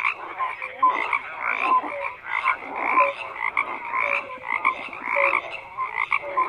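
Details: Many frogs croaking at once, with harsh pulsed calls stacked over short whistled notes, in bursts roughly every half second to a second, forming a thick unbroken chorus.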